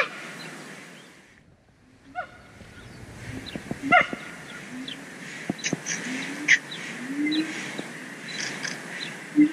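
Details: Siamang gibbons at Dortmund Zoo singing, with loud, harmonic whoops and barks that come in uneven bursts over a noisy background.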